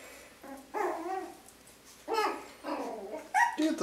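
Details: One-month-old Yorkshire Terrier puppies, five of a litter of six, play-fight indoors with cute little growls; three bursts of harmonic yapping growls around 0.7, 2.1 and 2.7 seconds, ending in a sharper yelp, over quiet room noise.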